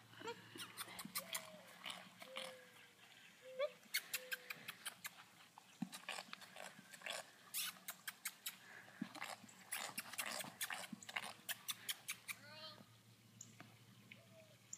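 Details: A horse makes farting noises with its mouth on command, flapping its lips in quick, irregular bursts of wet, sputtering pops; faint squeaky tones, possibly a human voice, sound in the background.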